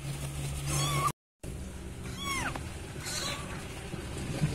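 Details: Kitten calling for its mother cat: a few rising-then-falling meows, one drawn out, broken by a brief gap, with steady low background hum.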